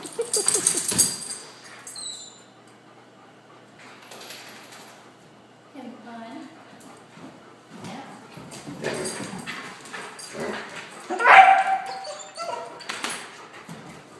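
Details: Pet Akitas playing with a German shorthaired pointer friend, 'talking' while they play, with no aggression: a wavering, moaning, low grumble midway, among sharp scuffling bursts, rustling and snorting play noises.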